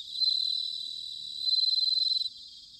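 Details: Close bell cricket in autumn at Sanuki, Chiba Prefecture, Japan, with a bright, high ringing trill that fades slightly, then swells into rapid even pulses before stopping abruptly, fainter crickets continuing underneath.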